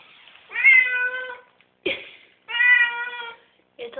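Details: Domestic cat meowing indoors just after a bath, reluctant to leave the tub: two long, clear, steady meows about two seconds apart, with a short sharp sound between them and a person's voice nearby in a small room.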